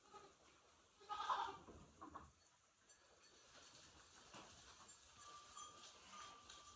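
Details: Goats in the barn at night during a storm, calling for grain at evening feeding. A single short bleat rises out of a steady barn hum and faint rustling, then the barn goes quieter.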